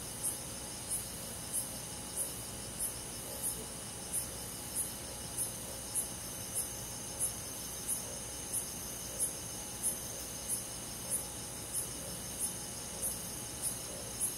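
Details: Crickets and other insects in a forest on a summer night in the countryside: short, high, bright chirps repeated about every 0.6 seconds over a steady, shimmering insect hum. A faint low rumble sits underneath.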